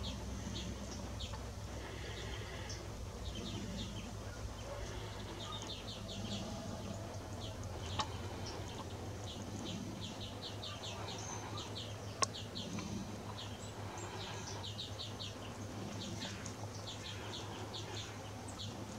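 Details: A lily bush cricket (Tylopsis lilifolia) in Sithonia, Greece, on 17 August 2017 gives soft, high, ticking chirps in short irregular groups over a low background hum.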